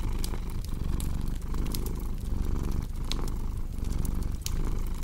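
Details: Brief stretch of deep cat purring with a gentle pulsing rhythm, punctuated by bright pops and crackles of a burning fire.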